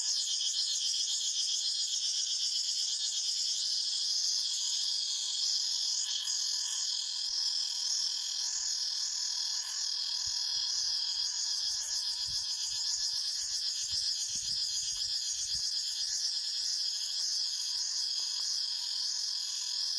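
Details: Forest cicadas in full chorus, a continuous shrill, droning buzz in overlapping high bands that waver slightly, with a few soft low thumps near the middle of the recording.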